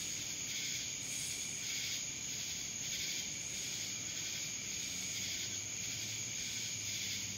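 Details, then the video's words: Many cicadas calling together in Dallas, Georgia, giving an unbroken high, hissing drone with rhythmic swells close to one per second and a fixed piercing tone running underneath. "Cicadas Black Screen Sounds"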